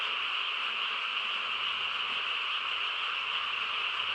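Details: Many frogs calling together on a calm rural night, their croaks merging into a thick, constant trilling hum, with a faint low rumble underneath.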